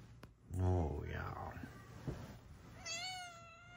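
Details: A female Snow Lynx Bengal cat, Luna, with blue eyes, looking out the window gives a clear, high, happy meow that rises then holds steady, as a person talks nearby.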